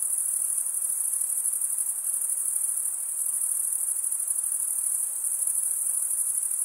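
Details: Crickets chirp through stridulation, males rubbing a wing edge along the toothed vein of the other wing. A thin, sustained high-pitched buzzing trill runs evenly throughout over light background noise.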